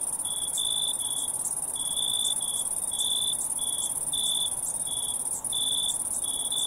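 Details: Night-time crickets: an unbroken sharp high drone plus a second voice of lower, short pulsed chirps in loose clusters, spaced irregularly across the recording.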